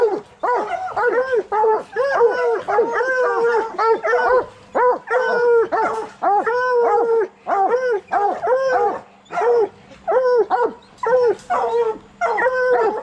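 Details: Coonhounds of bluetick and black and tan breeds baying during training to hunt raccoons, a rapid chain of short arched howls repeated roughly twice a second, loud and steady, with a low background hum.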